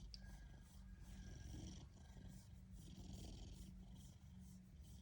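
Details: Happy Ragdoll cat purring, a steady low rumbling throb that pulses without pause, with faint hiss and light rustling above.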